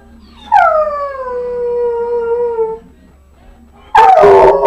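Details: Harley, a pet dog that likes to sing along to TV jingles and theme songs, gives one long smooth howl that slides gently downward and fades after about two seconds, followed by a short burst of louder, rougher sound.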